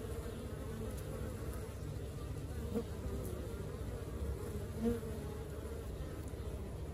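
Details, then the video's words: Honey bees of an active colony give an even, deep buzzing hum, with two brief louder buzzes standing out from the mass of wingbeats. "Xem đàn ong mật hoạt động như thế nào"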